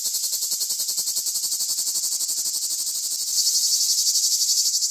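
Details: Cicadas calling: a loud, dense, high buzzing pulsed about four times a second, growing stronger and brighter partway through, with faint lower pulsing beneath.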